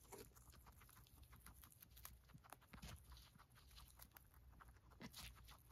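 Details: Several pet female guinea pigs eating hay, a dense run of crisp crunching and rustling bites repeating several times a second, with stalks snapping over a low steady hum.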